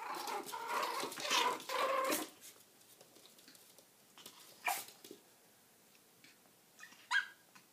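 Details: Pomeranian puppies play-fighting indoors; about two seconds of harsh, rasping snarls and growls, then quieter scuffling broken by a few short, sharp squeaky yelps.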